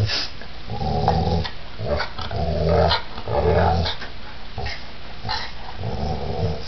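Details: Giant pit bull during a violent attack, growling low and throaty in repeated rumbling bursts of roughly a second, with sharp clicks and thuds scattered between them.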